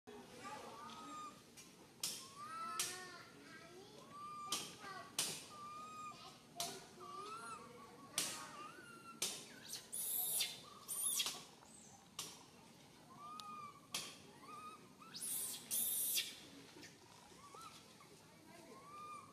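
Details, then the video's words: Santos, a tiny baby monkey stuck alone high in a tree, cries fearfully for its mother: arched, tonal wails, each rising then falling, repeated irregularly, broken by sharp broadband crackles and rustling bursts. "Calling Mum Helped while Stuck on high tree alone Tiny baby monkey SANTOS Cry very fearful"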